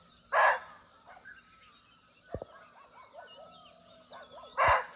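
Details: Barking deer (muntjac), unseen but close by, calling live in a natural forest in Nepal: two short, loud, hoarse barks about four seconds apart over a steady high insect drone and faint thin bird whistles.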